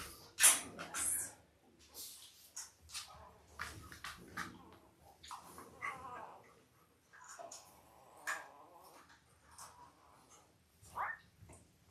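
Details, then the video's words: Five-day-old Labrador Retriever puppies from Belle's litter of eight, born October 15, 2023, indoors: a busy jumble of short high squeaks and squeals with scuffling and brief rustling noises between them. "5 Day Old Labrador Puppies"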